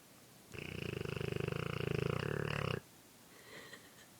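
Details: Dogue de Bordeaux snoring while asleep on a person's shoulder, a snore it makes as usual: one rough, rapidly fluttering low breath lasting about two seconds, then quiet room sound.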